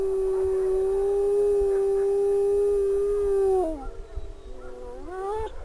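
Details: Renata, a wolf living at a wolf sanctuary, howls one long, steady, smooth tone held for nearly four seconds, then breaks off and rises again into a shorter wavering howl; faint background hum.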